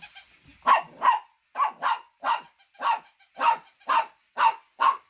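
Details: Shih Tzu dog giving sharp barks, mostly in doubled pairs, repeated steadily about twice a second with brief silent gaps.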